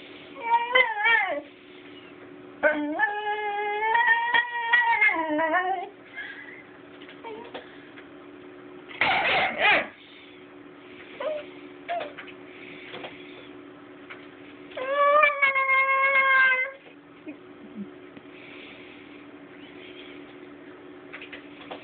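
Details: Banksy, a Basenji puppy that does not really bark, indoors giving odd yodel-like howls: long tonal cries that rise and bend, three main bouts with short yips between, over a constant low hum.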